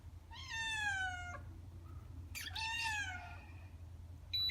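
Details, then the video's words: Indoor cat Nak G, male, born 19 May 2017, greeting his owner after waiting for her return: two long, descending, plaintive meows with rich harmonics, the second starting on a sharp onset, over a constant low room hum and a brief beep at the end. "My CAT is waiting me!"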